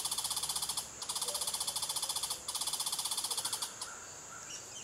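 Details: A mother red squirrel on high alert at a nest box with five young gives a fast, buzzy chatter of rapid pulses in bursts of about a second, with short pauses between.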